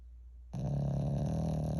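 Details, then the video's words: Loud snoring from a sleeping pet Shih Tzu at home: brief quiet, then a sudden coarse, low, vibrating drone with a throaty rattle that carries steadily to the end. "Shih Tzu Rex Snoring Loud"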